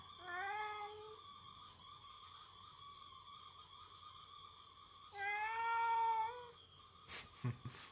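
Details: House cat Latte scolding its owner, who has been pestering it for food: a short rising meow at the start, a quiet pause, then a longer, louder wavering meow, followed by a few sharp clicks near the end.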